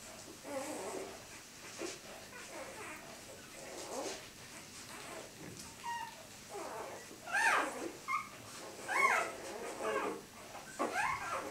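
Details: Four-day-old Siberian Husky puppies born 3 April 2015 in Kharkiv, Ukraine, while feeding: scattered short, high squeaks and whimpers, some rising or bending in pitch, growing more frequent toward the end over soft rustling.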